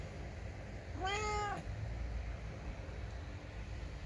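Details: Indoor ginger house cat giving a single complaining meow, about half a second long, that rises then falls in a smooth arch, set against a low background rumble.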